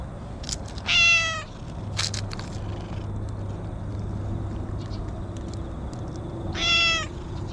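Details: Stray cat calling from inside bushes while being petted, filmed on a GoPro: two clear harmonic meows about six seconds apart, each short and slightly falling, with faint clicks and rustling between them over steady low outdoor hum.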